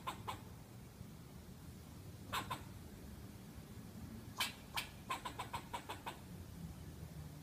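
A squirrel gives sharp, clicking chucks, first in pairs, then in a quick run of repeated notes.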